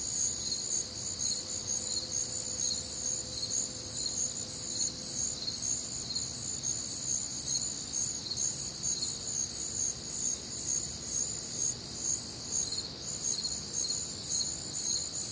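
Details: Crickets and other nocturnal sounds on a warm, humid Midwestern summer night: bright, high chirps repeating about twice a second in a constant layered chorus, plus a faint low steady tone early on.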